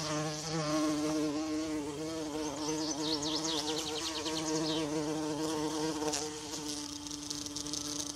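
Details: Forest bumblebee hovering by wild violas: continuous droning buzz with wobbling harmonic bands, overlaid midway by a rapid series of high sweeping bird-like chirps, then fading slightly toward the end.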